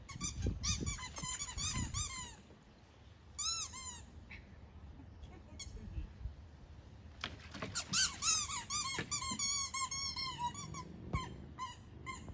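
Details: English Springer Spaniel, an oversized Springer playing in water and running through a pool, gives repeated high squeaky whines with rising-falling tones in bursts, separated by splashing and low rumbling background noise.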